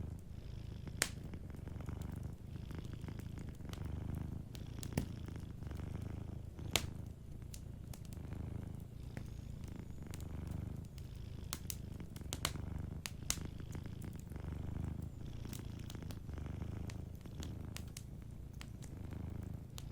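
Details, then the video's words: Sleeping domestic cat purring softly beside a fireplace: a steady low rumbling purr swelling and easing with each breath, roughly every two seconds, while sharp fire crackles and pops break in throughout. "Warm Fireplace Ambience with a Sleeping Cat 🐱💤Fireplace & Soft Purring"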